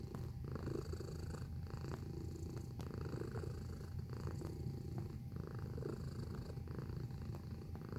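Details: Close-up domestic cat giving a continuous low, rough purr with an even rhythmic rumble throughout and occasional light clicks from handling.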